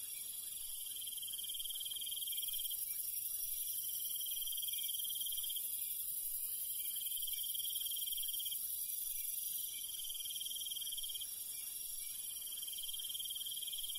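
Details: Countryside crickets at night: bright pulsed trill bursts repeating roughly every one and a half seconds against a dense, unbroken high-pitched insect drone.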